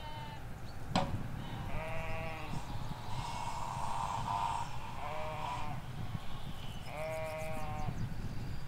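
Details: Ewes and lambs grazing a field in the Hampshire countryside, caught on a stereo recorder halfway along a hedge: four wavering, harmonic bleats over about eight seconds, each lasting around half a second to a second and a half, above a low steady rumble.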